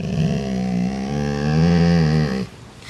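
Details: Rocky, a part-Rottweiler dog, growls at his sibling Peter, trying to push him down the food chain; a low, rumbling, steady growl with rich harmonics held for about two and a half seconds before breaking off abruptly.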